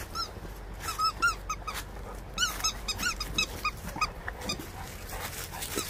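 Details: Labrador Retriever giving rapid, short, high squeaky whines, about a dozen clipped bursts within six seconds, some in quick pairs, over a steady low background hum.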